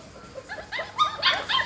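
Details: Month-old Pit Bull puppies, hungry and waiting for food after their mother Namtan nursed them, give scattered high-pitched whines and squeaky yelps that grow louder toward the end.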